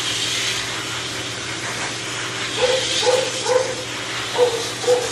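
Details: Shih Tzu male under a dryer, a dog that bites from pain and hates discomfort; after several seconds of blower hiss, a quick string of short, thin yelps breaks through the noise.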